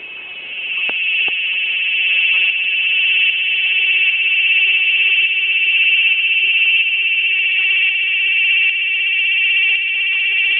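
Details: Cicada, filmed on 26 August 2007 at 16:15, producing a loud, steady, shrill buzz that swells in the first two seconds and then holds unbroken at high pitch throughout, with faint background sounds beneath.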